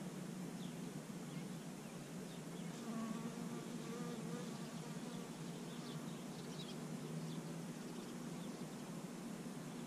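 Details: A bee collecting pollen on dandelions in early spring makes a steady, low droning buzz with faint higher overtones, unbroken from start to finish.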